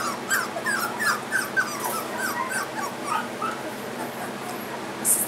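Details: Three-week-old Goldendoodle puppies, males and females marked with coloured ribbons, give a steady stream of short, high whimpering squeaks, several per second, fading toward the end, with a faint hum underneath.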